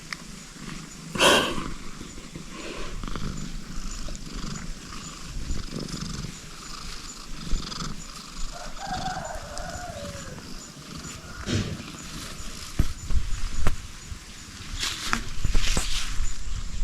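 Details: A tabby cat purrs gently while receiving head scratches. The purring is a low, steady rumble throughout, broken by a few brief rustles and handling noises.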